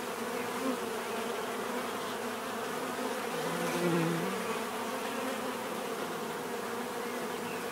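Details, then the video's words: Bees buzzing as a dense swarm drone, with a single bee flying close around the midpoint, its deeper buzz swelling louder and dipping in pitch before fading back into the hum. "bees therapy relaxing natural buzzing sound"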